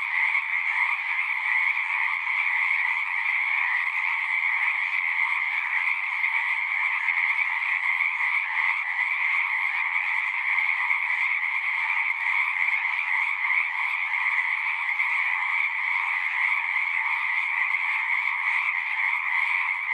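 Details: Frogs singing together in a thick, constant wall of rapid trills that holds a high and a mid pitch band. The level stays even throughout, with no pauses and no other noises.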